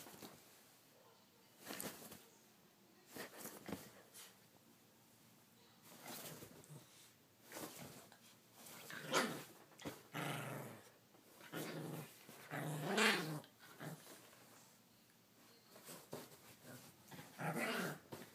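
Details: A female Miniature Pinscher, almost one year old, playing on a bed indoors gives short, sharp barks and soft whines in irregular bursts.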